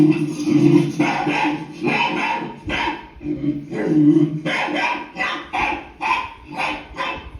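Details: Pet dog named Leo barking indoors in reaction to a barking sound on TV, with a series of short, harsh barks about every half second to second and a steady low hum underneath.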